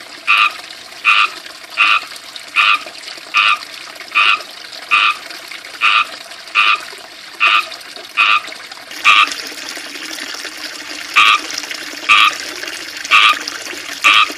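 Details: Loud, short chirps from frogs in a small ivy-surrounded backyard fishpond repeat about once a second, evenly spaced, with a fountain's steady trickle and splash underneath growing louder midway.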